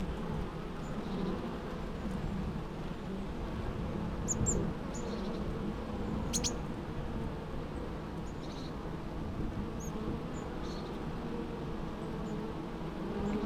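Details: Natural bee sounds: a low, steady droning hum fills the recording throughout, with a few faint high chirps and ticks scattered above it.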